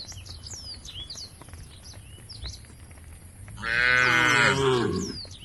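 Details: Tame cows in a herd walking towards a field at the edge of a forest: a single deep, drawn-out moo with rich harmonics rises late and lasts over a second, after small birds chirp and whistle repeatedly in the background.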